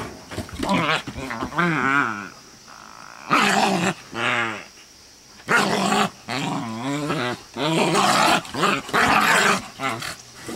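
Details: Scottish Terrier named Violet attacking a Bouvier des Flandres named GloK, with a Black Russian Terrier nearby relaxing; bursts of harsh snarling growls and yelping barks in short bouts, separated by brief pauses.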